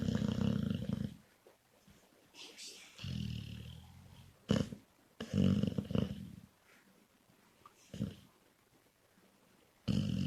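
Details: Female pet Labrador Retriever asleep indoors, snoring loudly enough to drown out the TV: deep, rasping, growly snores in uneven bursts of about a second, separated by quiet pauses, with faint background sound between them.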